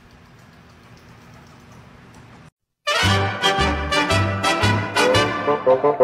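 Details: A faint low hum runs for a few seconds, then a short silence, then loud brassy trumpet-and-trombone music with a punchy rhythmic beat, and no animal calls.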